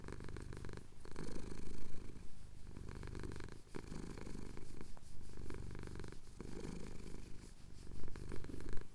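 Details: Male house cat purring while having his chin scratched at sunrise over the Cotswold hills, recorded on a Tascam DR-07X; a deep, steady low rumble that swells and eases with each breath, continuous throughout.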